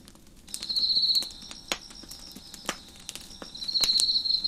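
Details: Crickets chirping behind a crackling fire on a deck: a steady high shrill drone, swelling twice into loud, sustained trills about three seconds apart, over sharp irregular pops and snaps from the burning wood.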